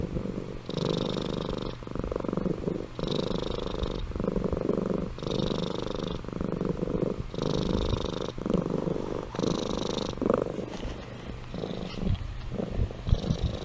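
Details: Amy, a pet cat, purring while asleep: steady low rumbling pulses in rhythmic breath cycles about every second, with a soft hissy snore-like layer on some breaths, in a quiet indoor setting.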